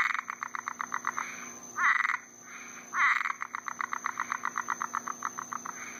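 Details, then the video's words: Frogs and toads calling during mating in Florida on a summer night after a rainstorm: fast trains of short pulsed croaks repeated in rapid series, broken by two brief harsher, louder bursts, with a steady high insect-like hum behind. "Florida frogs mating with sound effects"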